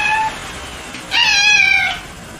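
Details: Kittens eating meat, one giving a clear, drawn-out meow with a steady tone that falls slightly at the end. A shorter, fainter mew comes just before it, and the recording is otherwise quiet and indoor.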